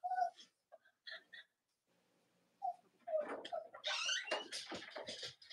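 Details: Cavalier King Charles Spaniel puppies from Robin and Myra's litters, kept indoors, whimpering in short tonal squeaks that build into a busy, noisy stretch of overlapping squeals and rustling near the end.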